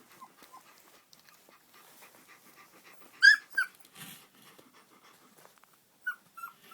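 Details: Shiloh Shepherd puppy from Totem Shilohs making soft faint whimpers, then one loud sharp yelp and a second cry, ending with two brief high squeals against near silence.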